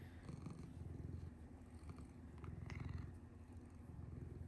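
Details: Domestic cat Hinoki cuddling with the household father late at night indoors, purring steadily: a low, even rumble pulsing several times a second throughout, with faint rustling on top.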